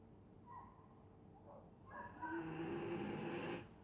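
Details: Dog snoring while asleep on a winter night in Scotland: a soft, faint breath sound, then one long, raspy, hissing snore lasting over a second.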